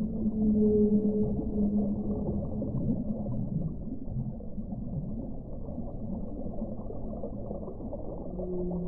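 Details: Whale song: steady low moaning tones held for about two seconds, with a fainter higher tone above, over a constant rushing, rumbling background.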